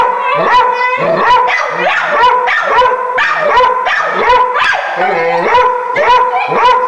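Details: Dogs indoors barking excitedly at a caged raccoon beyond a door: rhythmic, overlapping barks about twice a second, blended with whiny, tonal yelps.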